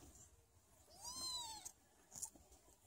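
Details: Sphynx cat mother talking to and nursing her newborn kittens: a single thin, high rising-then-falling meow lasting about half a second, with faint soft rustling and small squeaks around it.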